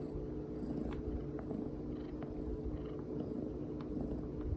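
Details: House cat purring under a person's touch, seemingly enjoying a massage: an even, low, rumbling purr with a constant faint hum and occasional soft taps.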